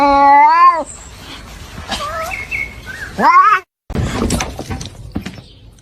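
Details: Kitten meowing loudly: a long, full, slightly falling meow at the start, then a shorter, rising meow after a pause, with soft rustling and faint household noise between.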